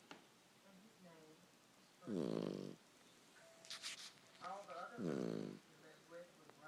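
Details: Pup asleep, giving two buzzy, vibrating snores about three seconds apart, each about half a second long, over steady background television speech and a brief high clatter.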